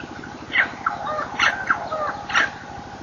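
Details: Baby baboon squealing during an attempted snatch, recorded 23 September 2008: three bright, strained squeals rising to high pitch at roughly one-second intervals, with shorter whining notes between them, over a steady background hiss.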